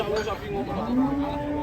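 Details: Cattle in Indonesia being unloaded from a truck, called angry; a short moo starts, then a rising, sustained lowing tone holds steady to the end amid crowd noise.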